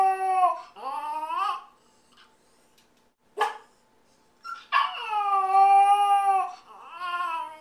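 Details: Lonely Yorkshire Terrier puppy filmed indoors while its family is out, howling for its absent owner: a rising whiny howl, a sharp yip, then a long, steady, tonal howl that tapers down.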